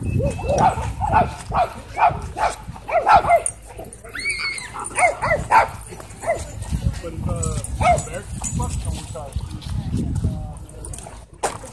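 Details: Pet Miniature Pinscher warning when harassed, giving a series of short, high, nasal yips and whines at irregular intervals. People talk throughout, and a brief higher squeaky sound occurs midway.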